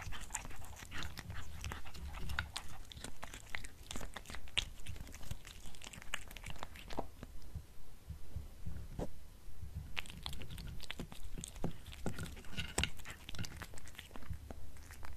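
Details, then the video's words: Crunching of beef snacks by a black pet cat indoors, recorded close: bursts of sharp crackling bites in a steady rhythm, with a brief quieter pause midway before the chewing resumes. "Black Cat Eating Beef Snacks ASMR"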